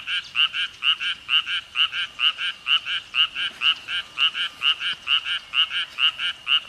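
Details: Frog croaking at 6 pm, a crisp, evenly spaced series of short, rasping pulses about three per second, each pulse sharply separated by brief gaps, steady throughout.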